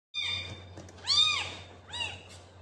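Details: A cat giving three meows over under three seconds: a first drawn-out call falling in pitch, a louder arched meow rising then dropping, and a shorter final meow, with a steady low hum underneath.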